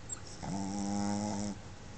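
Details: Boston Terrier named Pepe, a pet dog snoring while asleep indoors with tongue out and eyes open; one drawn-out harmonic snore of about one second, steady and slightly nasal, in a quiet room.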